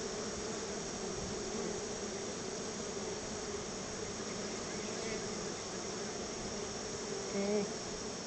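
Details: Swarming honey bees around their home hive, fed a little store-bought honey as thanks, hum in a continuous, low, steady drone. A short, louder buzz rises near the end as one flies close.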